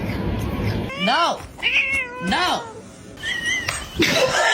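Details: Cat meowing: three drawn-out meows, each arching up then down in pitch, followed by a shorter higher call and a noisy burst, with a person's voice mixed in.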